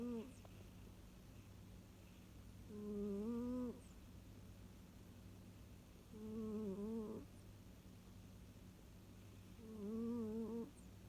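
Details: Pet cat Masya snores when utterly cosy, sometimes only pretending to sleep; three nasal, harmonic snores with a wavering pitch, each about a second long and spaced roughly every three and a half seconds, over a faint low hum.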